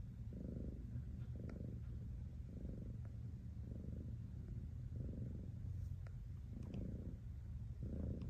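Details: Cat purring steadily, a low continuous rumble that swells in rhythmic pulses about once a second, following the breathing cycle; a few faint clicks above, otherwise quiet.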